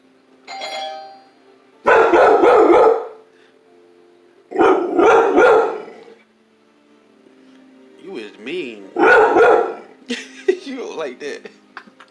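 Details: Doorbell chime, then Chloe the pet dog lets out three loud, harsh screaming bursts about a second long each, separated by pauses, followed by scattered yelps; a person speaks softly in the room.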